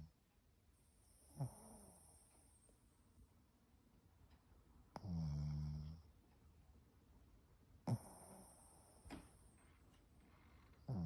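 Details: Shih Tzu named Mābō snoring while fast asleep belly-up after coming home from a walk; soft low rumbling breaths with one loud drawn-out snore in the middle and a few sharp snorts, quiet room.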